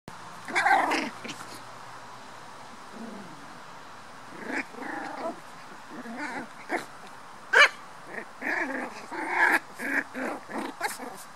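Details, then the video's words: Black toy poodle puppies at play, giving soft growls and short yips scattered through the recording, with quiet gaps between bursts of sound. "Lekande dvärg-toypudelvalpar. Playing poodle puppies."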